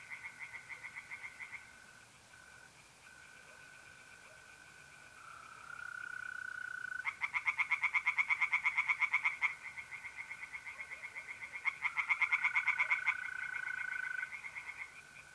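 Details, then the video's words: Tree frogs singing in a north-east Italian pond on a mid-April night: quieter pulsing at first, then loud bursts of rapid rasping croaks around the middle, accompanied by the smooth continuous trill of mole crickets. "relaxing singing tree frogs in pond and trilling mole crickets by night"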